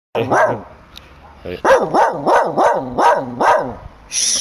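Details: Angry guard dog barking wildly: after a brief voice-like opening, six harsh, rapid barks follow at roughly half-second intervals, each a strong rising-and-falling burst, ending with a hissing noise.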